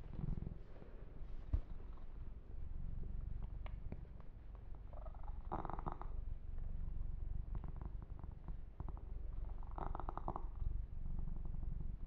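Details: Kitten named Yumak purring during a massage and fur grooming: a low, continuous rumbling purr with soft clicks, lip-smacking sounds and two short bursts of rubbing on the fur.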